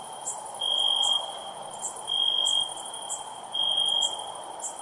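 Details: Crickets at night: a steady, high, pure trill switching on for about half a second and off again, repeating roughly every second and a half, with faint sharper ticks above and a soft hiss beneath.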